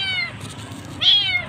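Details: Abandoned kitten alone at a roadside, crying loudly before being rescued: a sustained, slightly falling meow, a short pause, then a sharper, louder second cry with bright high overtones.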